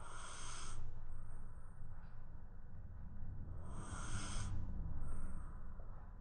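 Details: Shiba Inu asleep during a midday nap, snoring: hissing, breathy snores roughly every three and a half seconds over a steady low rumble.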